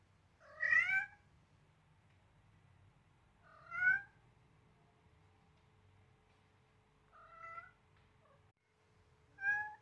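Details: Selena, a seven-week-old blue-eyed Siamese kitten, meowing loudly while playing roughly with a duckling; four clear harmonic meows, each sliding slightly, spaced about three seconds apart, the third softer, over a low steady background hum.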